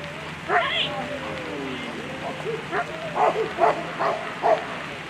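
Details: German Shepherd at a World Championship agility competition, Tigerdyrest Clue named, giving a few short sharp barks and yips spaced under a second apart, mixed with a whining rise and steady crowd and voice murmur behind.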